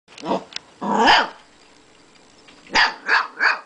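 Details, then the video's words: Two-month-old Siberian Husky puppy and a pet Quaker parrot about two years old barking at each other indoors; sharp harmonic barks, a double burst then three quick barks after a pause. "Nakita our Siberian Husky, and Kiko our Quaker parrot barking at each other"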